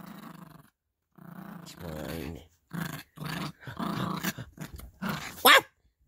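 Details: Yorkie puppy growling as she plays with her squeaky elephant toy indoors; several short rough growl bursts in quick succession, ending in a sharp, loud squeak from the toy.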